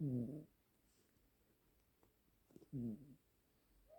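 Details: Brother-and-sister Siamese cats snoring together indoors in a duet. Two short, low, rasping harmonic snores about two and a half seconds apart, the room otherwise quiet.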